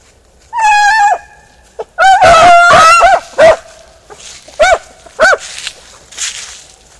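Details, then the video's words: Ploughed field setting: a Beagle Harrier gives a sustained, tuneful bay, then a longer, rising-and-falling howl-like bay, followed by four short clipped yelps at roughly half-second intervals. "beagle harrier in arato"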